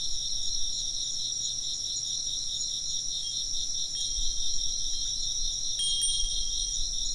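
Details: High insect chirping runs steadily as a pulsing, shrill chorus while a wind chime rings out clear glassy notes a few times, with faint low rumbling beneath.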